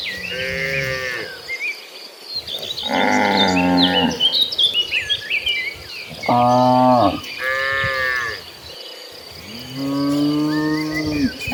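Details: Herd of tame cattle walking toward green pastures, mooing repeatedly: five long, rich harmonic moos of varying pitch, some higher and strained, others low and rising, with insect-like chirping and light background noise throughout.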